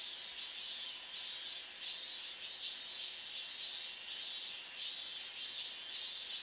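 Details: A dense summer chorus of higurashi cicadas near the evacuation-zone edge at Minamisoma, Fukushima, August 2011, singing extremely loudly: high, shimmering pulses rise and fall in steady waves of about one to two per second, with no other sounds.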